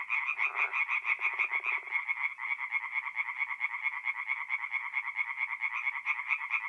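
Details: Tree frogs singing at night in a forest pond in mid-April, North-East Italy: a dense chorus of rapid, rattling croaks packed around a steady bright band, with lower pulsed trills breaking in during the first two seconds.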